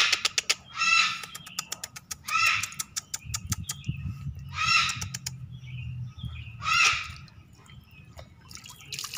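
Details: A pet baby otter being bathed gives loud, grating squeals in short bursts roughly every two seconds, separated by rapid sharp clicks. A low rumble of splashing or handling noise sits underneath partway through.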